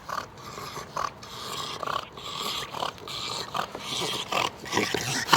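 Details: A napping bulldog snores loudly in a series of noisy, rasping, breathy bursts that come roughly once a second, each a rough rush of air rising and falling in strength.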